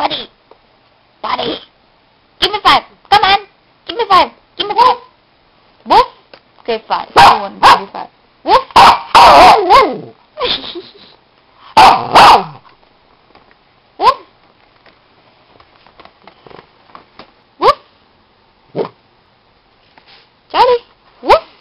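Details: Maltese dog giving short, sharp barks in quick bursts, sometimes doubled, spaced by pauses, while a man speaks commands and encouragement; barking thins toward the end with occasional single yaps.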